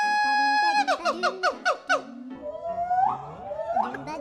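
A monkey gives a steady squeal, then a run of quick falling squeaks and rising whoops.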